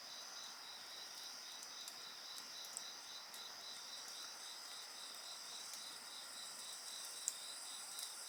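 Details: Night insect chorus next to a campfire, several steady high bands with one rapidly pulsing trill, occasional crackles and snaps from burning wood.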